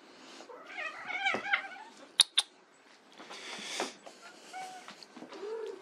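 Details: Playing white Persian kittens give a drawn-out wavering meow early on, followed by two sharp clicks, soft rustles and a few faint short mews near the end.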